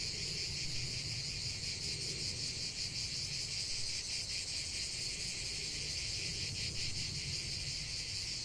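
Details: Chorus of cicadas producing a relentless high-pitched rasping buzz, slightly uneven pulsing through the clip, set against soft low-frequency ambient noise.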